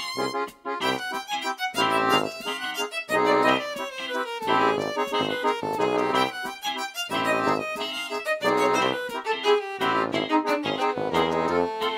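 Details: Lively accordion and fiddle tune plays throughout with sliding notes and rhythmic chords, and no animal is audible.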